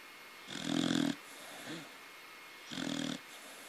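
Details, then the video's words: Sleeping baby corgi snores twice, each rattling snore lasting about half a second, a small soft snort between them, otherwise quiet room. "Taro snoring.."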